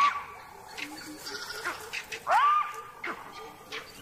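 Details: A jackal gives a sharp, rising alarm bark among fainter calls and a speaking voice; its barks are echoed by vervet monkeys chattering in the distance.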